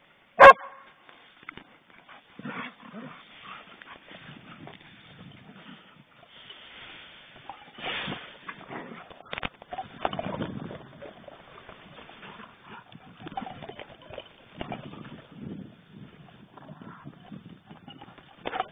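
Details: Poodles at play indoors: soft whimpers, low grumbling yips and scuffling spread through the clip, a sharp loud knock near the start, people chatting quietly nearby.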